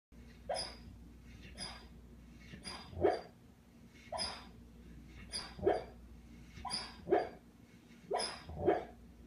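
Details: Pet dog Sam, a female, whimpering and yelping in her sleep during a nightmare; short high muffled yips in clusters every second or two, over a low steady hum.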